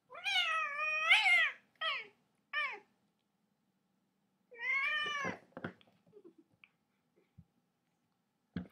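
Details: Domestic cat giving three short meows, then a longer drawn-out meow that rises and falls, followed by a few faint soft clicks and quiet rustles in an otherwise silent room.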